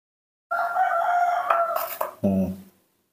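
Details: A newborn monkey in human care calls for milk. A sustained, steady, high tonal scream lasts nearly two seconds and ends in a lower, harsher cry.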